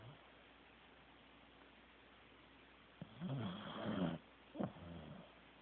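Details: A Corgi named Teddy snores while asleep. After three seconds of quiet room tone comes a low, gravelly inhaled snore of about a second, then a shorter snort-like breath.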